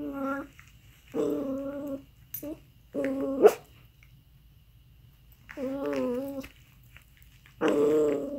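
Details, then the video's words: Weird sounds from an aardvark: short, nasal, whimpering moans in bursts of under a second, with pauses of one to three seconds between them, indoors-sounding with a sharp click mid-clip. "Weird sounds from Aardvark"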